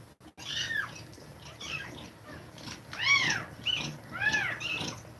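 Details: Cat breathing quickly while kittens nurse. Closely spaced high mews, each a rising-then-falling arch, come roughly one per second, loudest around the three-second mark. Brief knocks occur at the very start.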